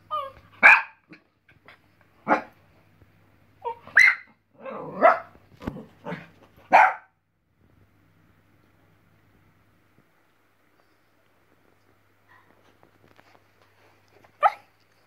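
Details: Westie puppy reacting to a squirrel on television, firing off a cluster of quick yapping barks and a whiny yip in the first seven seconds, then near silence broken by one last bark at the end.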